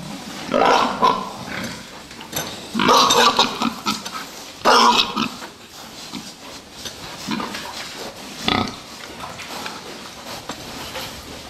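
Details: Fattening pigs in a pen let out several loud, harsh squeals in quick succession early on, then fade to scattered lower grunts with a few clicks and knocks.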